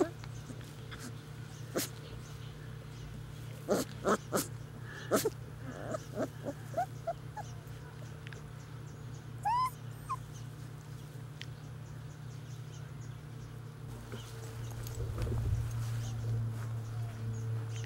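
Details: Basset Hound puppies outdoors for the first time; scattered high, thin whimpers and yips, with a cluster of rising squeaky whines near the middle, sharp taps and clicks, a steady low hum and a woman speaking.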